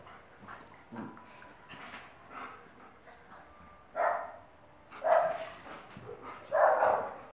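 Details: Playful Akita dog: a few soft huffs, then three loud, harsh growling barks about a second long, spaced roughly a second apart.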